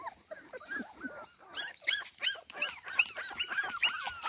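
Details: Cardigan Welsh Corgi puppies alone in a garden without their mother, giving rapid, high-pitched whining yelps and squeaks, many short overlapping cries in quick succession, growing busier and louder after the first second.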